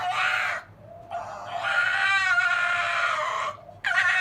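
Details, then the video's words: Whining silver fox Zorro bugs his older brother Tod, who is trying to reach the kennel top; a short whine, a pause, then one long quavering, strained whine and a final abrupt start of another. "Zorro the silver fox whining and yawning"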